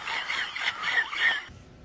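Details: A sleeping, dreaming dog falls down and gives a run of high, wavering whimpers and muffled yips that stop abruptly.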